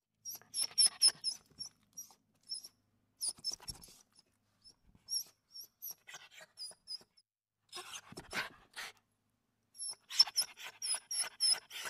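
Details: A street dog with her mother whimpers in high, squeaky chirps, sometimes in fast runs of four or five, sometimes singly, with breathy snuffling noises in between.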